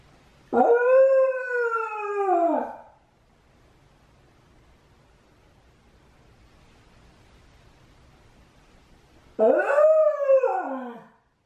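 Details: Left home alone while Mame is walked, Shiba Inu Chame howls twice: each howl jumps up sharply, holds briefly, then sags downward and trails off, with a long quiet gap between them.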